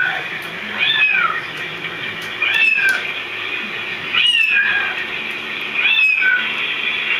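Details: Household cats meowing along to the sound of other cats: four clear meows, each sliding up then down, spaced roughly every one and a half seconds.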